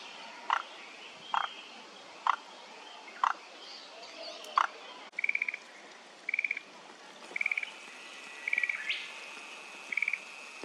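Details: Frogs calling in chorus at Kamakura Central Park, Japan, on 17 May 2024: short croaks roughly once a second, then a different run of higher, rapid pulsed trills repeating about every second.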